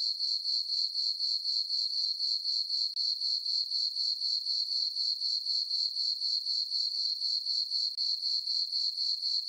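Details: Crickets in a meadow at night on a farm, summer and full moon, keep up a high, ringing chirp in regular pulses near four per second, unbroken and alone against silence.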